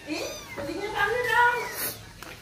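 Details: Persian cat among a group of pet cats at feeding time. Several drawn-out meows with rich harmonics rise and then fall, following one another closely, while people talk over them.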